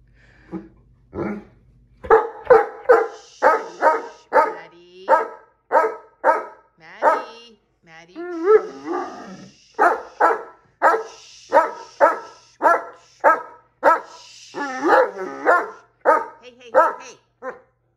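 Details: Great Dane named Maddie arguing with Jack the cat about who sits on the favourite chair, giving a long string of loud, rhythmic barking yowls roughly twice a second, with a person telling her to sit.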